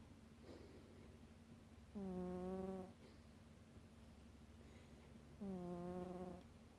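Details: Sleeping house cat snores twice, tonal and droning with stacked overtones, each lasting nearly a second and spaced roughly three and a half seconds apart, with faint low hum between breaths.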